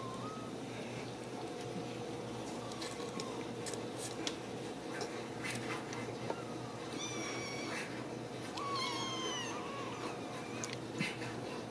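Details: Ragdoll kittens from a home cattery in central Kansas. Two short, high, wavering mews come late in the clip, set against a steady indoor hiss and light clicks from movement.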